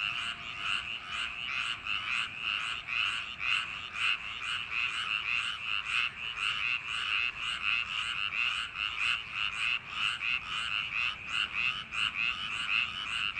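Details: On a summer night among rice paddies, a massed frog chorus keeps up a grating pulsed croaking, bursts tumbling over one another without pause; a faint steady tone lingers briefly early on.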